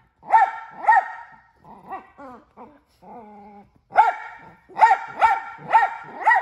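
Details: Two sharp barks from a male mini Australian Shepherd, then a run of softer whining, talking yelps and a drawn-out whine, before a fast volley of five loud barks.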